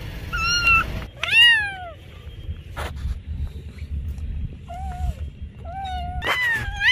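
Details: Cat meowing in a series of clear, tonal calls: a short steady meow, then a longer meow that rises and falls, and after a quiet gap two more level, drawn-out meows. A low rumble of background noise runs throughout.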